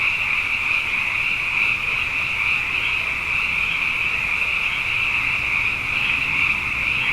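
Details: Nighttime frog chorus following two consecutive wet years, with the frogs plentiful; a continuous, high-pitched wall of overlapping trills swells slightly but never pauses, with no other sounds standing out.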